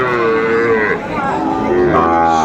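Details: Sahiwal bull calves at the Aftabganj cattle market, Kurigram, Bangladesh, on Saturday 27 July 2024: overlapping harmonic bellows and mid-pitched moos from several animals, with market crowd noise behind.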